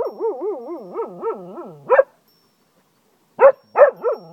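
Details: A Cocker Spaniel in Ajloun, Jordan howls like a wolf, a wobbly, wavering howl of rapid up-and-down pulses about twice a second, then short rough barks with brief silences between.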